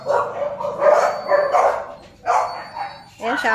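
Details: German Shepherd pups at Zondiram Kennel yapping in loose bursts, several barks overlapping, followed by a rising whiny cry at the end.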